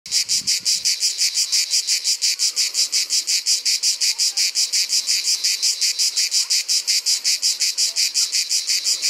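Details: Ash cicada, a Provençal cicada singing in summer: loud, harsh rasping buzz broken into rapid, very even pulses, about five per second, steady for the whole stretch with no other sounds.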